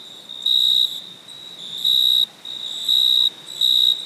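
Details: Chirping cricket after dark: four evenly spaced, shrill trill bursts in about four seconds, each lasting under half a second, over a soft constant high hum.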